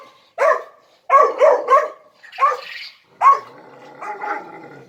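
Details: Dominant three-month-old pup barking: one sharp yap, a quick triple burst, a rougher bark, then a final bark trailing into a drawn-out whine.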